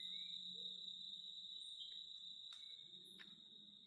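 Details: Unbroken shrill drone from a cicada, an even high whine that never pauses. Two sharp clicks cut through near the end, and a faint low hum runs beneath.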